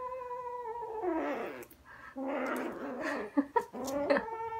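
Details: A kitten growls while playing with a fluffy toy it will not let go of; continuous tonal growls waver in pitch, with soft thumps and clicks from the scuffle.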